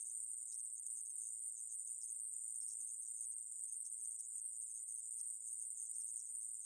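A conehead katydid gives a continuous, very high, hissing buzz without pause.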